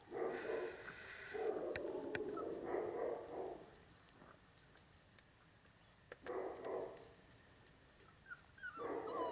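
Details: Cane Corso puppies, seven weeks old, bred from Dana and Paolo; drawn-out whining and yelping in two long bouts at the start, a pause with small clicks, then renewed whines near the end.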